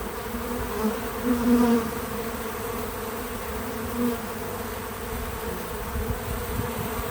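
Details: Bees visiting a feeder outdoors on a small farm: a steady low droning hum with a second, higher layer. A few louder buzzing passes swell near the start and fade again around four seconds.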